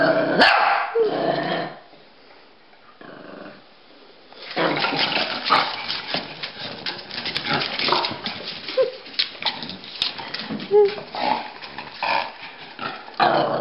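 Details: Pekingese and Bulldog chase each other playfully; harsh barks and growls open, a quiet pause follows, then lively scuffling with short yelps and growly grunts resumes and runs to the end.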